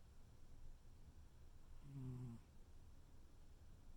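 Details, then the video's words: A tuxedo cat cuddling and snoring: one soft, low, droning breath-snore lasting about half a second in the middle, otherwise near-silent room tone. "tuxedo cat cuddle and snore"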